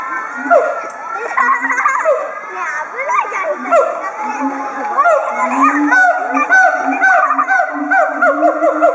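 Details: At Chiba Zoological Park on 18 October 2013, two siamangs chorus in an excited threat display, throat sacs swollen. Overlapping wailing, sliding hoots rise and fall continuously, while a crowd of visiting schoolchildren chatters nearby.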